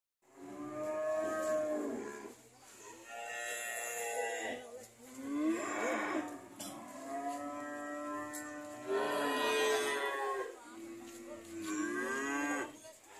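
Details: ['Cows owned by an old man and not selling well, mooing in a series of long, harmonic lowing calls that rise and fall, several animals overlapping over about thirteen seconds.']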